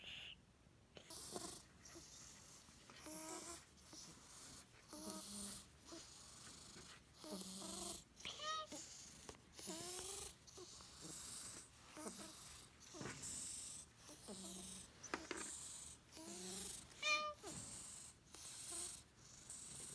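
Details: Odd-eyed white senior cat, rescued in Tochigi in October 2018, acting strangely among resident cats; many short, tonal meows and chirps, some rising then falling, scattered through the clip over bursts of hissy high-pitched background noise.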